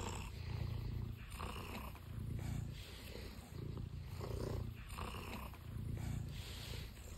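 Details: Stitch, a big tuxedo house cat that flops on command, purring in a deep, rough rumble, with rhythmic swells about every second as breath goes in and out, steady and close.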